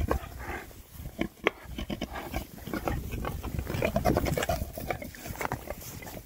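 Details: Winter foraging by six Oxford Sandy and Black pigs, a rare breed, produces quick, choppy grunts and snorts repeated several times a second over constant rooting and crackling sounds.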